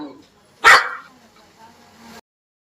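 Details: A dog gives one short, loud, harsh bark about two-thirds of a second in, followed by a faint low hum and quiet background until the sound cuts off abruptly before the end.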